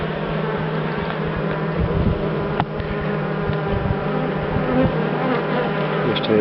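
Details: Calm dark bees, described as wild, in a top-bar hive as another comb is shown, a loud, dense, low droning hum throughout with a sharp click partway through.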